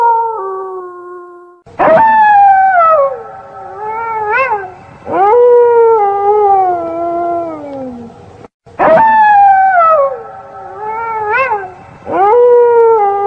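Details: Wolves howling at night, described as scary: a falling howl, then overlapping howls that rise abruptly and slide down in long glides, with brief yelping peaks, forming a layered chorus.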